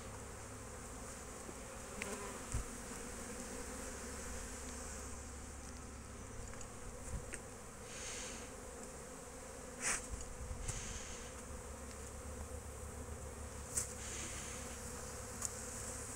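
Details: Honey bees out foraging at a beekeeping yard on 12 March 2024: a quieter, constant buzzing drone over a low rumble, with occasional isolated clicks and soft hissy swells.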